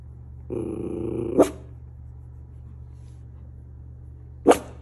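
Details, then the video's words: Miniature Schnauzer looking out and barking at things: a drawn-out, tonal whining growl for about a second ends in a sharp bark, then a pause and one more abrupt bark, over a steady low electrical hum. "Mini Schnauzer making funny noises"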